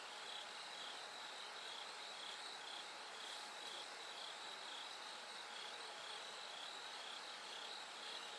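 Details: Night chorus before daybreak with a bell cricket giving clear high ringing pulses in regular rows, set against a continuous hissing wash of other insects.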